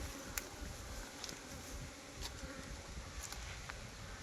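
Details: Kept honey bees buzzing around hive boxes on a Nellore bee farm, a continuous low rough hum with faint scattered clicks and no clear speech.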